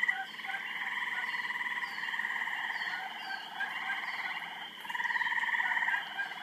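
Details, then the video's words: Loud frogs calling during a mating session: fast buzzing pulsed trills from several callers overlapping continuously, with faint brief chirps higher up. "Noisy Frogs"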